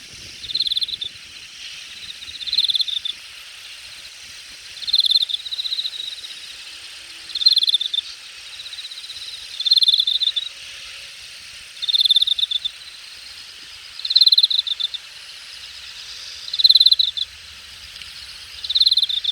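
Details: Grass insects heard from a grassy thicket in late summer, August 2021, at Jamwon district of Hangang Park, Korea; bright high trilled chirp bursts about every two seconds, steady faint hiss behind.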